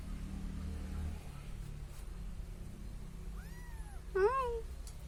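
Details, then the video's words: Cute little kitten following a person, giving two meows near the end: a drawn-out rising then falling mew, then a shorter, stronger, harmonic-rich cry, over quiet low background hum. "See how the cute little kitten following me"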